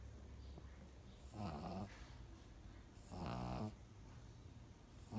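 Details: Snoring pug in deep sleep gives two long grating snores with a throaty vibrating texture, the second stronger, then the start of a third at the very end; a quiet room otherwise.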